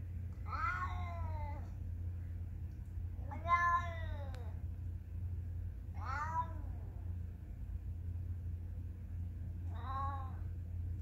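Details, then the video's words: Four short, arched cat meows spaced roughly three seconds apart, each rising then dropping in pitch, the last one softer, against a continuous low droning hum. "Kitty meow"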